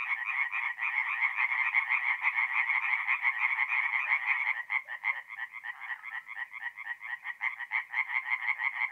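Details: Night chorus of tree frogs at a forest pond, North-East Italy, mid-April: many frogs croaking in rapid overlapping rattles, thick at first, then thinning after about five seconds into a clearer pulsing rhythm of separate calls.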